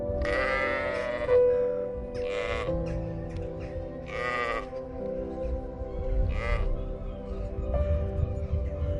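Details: Baby goat bleating: several wavering, nasal bleats of about a second each, loud and harmonic-rich, over a steady background of sustained music tones.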